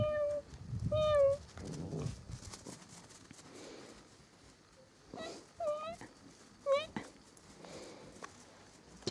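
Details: Samoyed dogs from the Bely Volk kennel, a mother with her puppies: high, tonal whimpering whines, each bending up then down, about four spaced across nine seconds, with low murmuring at the start and scattered clicks and bumps.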